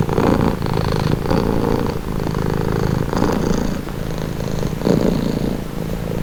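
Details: Domestic cat purring steadily, a low rumbling drone with soft pulses swelling and easing roughly every second as it alternates between breathing in and out; no other sounds intrude.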